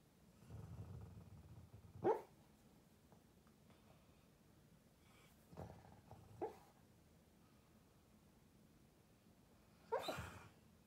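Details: Female pet dog barking in her sleep: four soft, muffled woofs at irregular intervals over eleven seconds, the last one slightly louder, with a low steady hum in the room between them.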